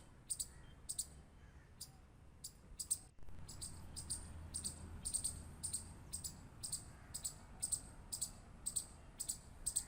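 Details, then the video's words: Squirrel clicking: sharp, high, dry clicks repeated steadily about twice a second through most of the recording, over a soft low rumble and faint background hiss. "Squirrel Clicking Sound | Squirrel Sound"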